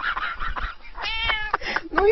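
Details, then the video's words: A cat indoors makes a short meow with a harmonic, slightly rising tone near the middle, preceded and followed by softer voiced sounds and background noise. "Les chats sont trop mignons"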